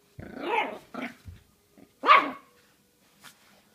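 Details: Jack Russell Terrier puppy tussling with a mandarin, letting out a drawn-out growling bark, a short yap, then one sharp rising bark, followed by quiet.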